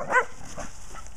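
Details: Little female pet dog outdoors in snow toward evening, jumping, spinning and chasing her tail: one short, sharp bark at the start, then two softer, brief yelps, with faint snow crunching between.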